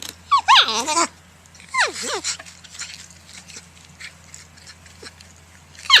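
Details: Porcupine giving high, whiny squeals that slide steeply downward in pitch, two long bursts early on, then quieter scattered squeaks and a final sharp cry, over a steady low hum.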